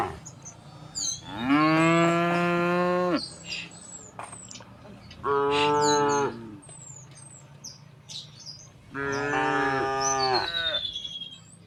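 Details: Cows walking through a village toward the fields, mooing: three long, rich, droning moos, the first lasting about two seconds, with small birds chirping and twittering in the background.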